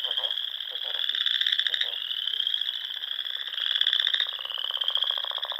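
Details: Spring frog chorus at dusk in the Sandhills of Nebraska, among small lakes and ponds in rolling dunes: a dense, continuous high trilling drone with overlapping pulsed croaks swelling and fading every second or two.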